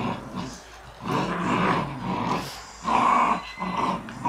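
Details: Three Shiba Inu pulling at a tug-of-war toy, producing a sustained, buzzing growl that rises into a louder, harsher burst near the three-second mark before easing off.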